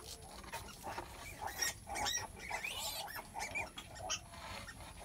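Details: Sow in the middle of giving birth, with a run of high squealing and grunting calls in quick, uneven succession, some sharp and rising, above faint rustling.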